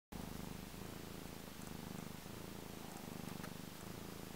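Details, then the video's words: Male black cat purring loudly while enjoying himself: a steady, deep rumbling purr with a regular pulsing beat, several pulses each second, in quiet surroundings. "Loud purring kitty cat"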